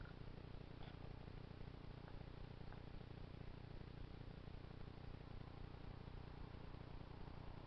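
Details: A two-month-old kitten sleeping on its owner's lap purrs in a steady, low, continuous rumble that holds evenly for the whole stretch, with only faint soft rustles above it.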